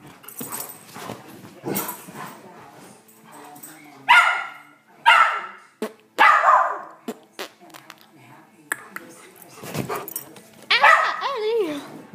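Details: Frightened by odd noises from people, a pet dog barks in three sharp bursts about a second apart, then whines with a falling tone near the end, amid people talking and laughing indoors.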